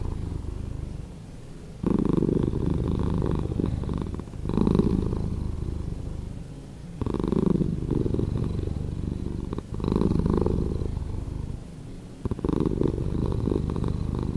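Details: Domestic cat purring at reduced speed, a long rhythmic low rumble alternating between louder inhale-like and quieter exhale-like phases every couple of seconds, no other sounds.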